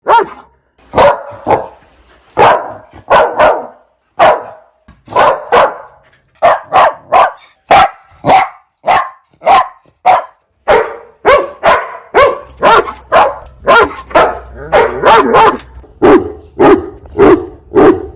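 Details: A dog barks loudly and persistently, with sharp barks at uneven intervals and about a hundred per minute, clustered into quick runs and brief pauses, while a low hum enters later.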